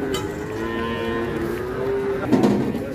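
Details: Giant Pegon cattle: a long, steady, low moo held for about two seconds, with a second short call near the end over background music and crowd noise.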